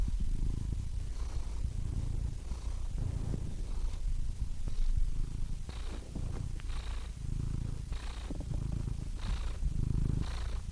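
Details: Cat purring softly with an audible breathy rasp on each inhale and exhale, a low rumble alternating with hissy breath phases about every second.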